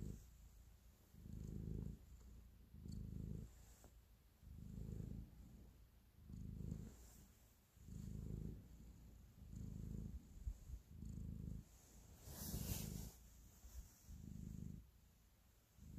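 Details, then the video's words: Domestic cat purring while kneading and showing affection: a low, rumbling purr that swells and fades in steady pulses about every second and a half, each throb alternating with a softer phase, with a brief rustle near the end. "Cat Purr, Kneading and Love"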